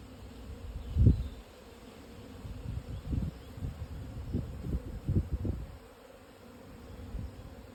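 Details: Swarm of Japanese honey bees moving house, Yamanashi highlands, Japan, midday in June; continuous low buzzing drone with several louder thumping surges, one strong around the first second, amid light breeze.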